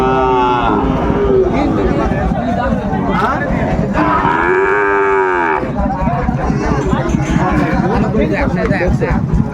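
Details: At a crowded Sylhet livestock market in Bangladesh on 16 December 2024, where a Sahiwal bull calf is being traded, a deep arched moo rises and falls near the middle. Crowd noise and talking fill the rest.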